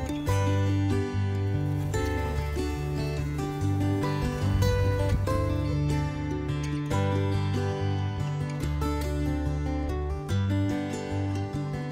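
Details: Steady acoustic guitar music with a strong bass line fills the whole stretch, and no animal sound comes through.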